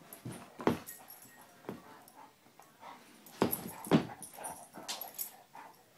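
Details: Basset Hounds Tracker and puppy Ranger playing and rough housing: a few sharp, short barks spaced apart, two quick ones close together midway, over low scuffling and background hiss.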